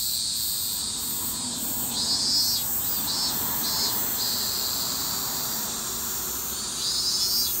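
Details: Evening cicada, or higurashi, calling in Japan: a shrill, high, steady buzzing band that swells and pulses in a rapid repeated rhythm, with no other clear sounds.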